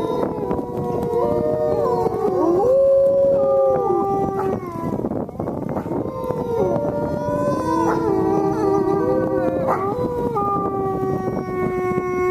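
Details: Wolves at the Lakota Wolf Preserve howling together in a chorus: several overlapping long, steady tones with sliding rises and falls, some voices higher and wavering, over a rough, noisy background throughout.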